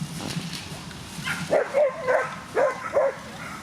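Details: Whippets at a coursing race, Twin Cup 2017 in Latvia: a dog gives a run of short, high yelping barks, about five in quick succession, over crowd murmur and outdoor background noise.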